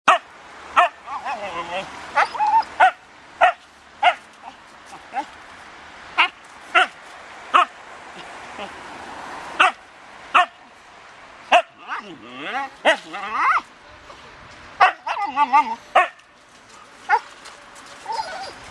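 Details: Siberian Husky worked up and freaking out over a ball or balloon; wavering, sliding whines and yowls in short bursts, mixed with sharp repeated knocks or thumps and human voices in the background.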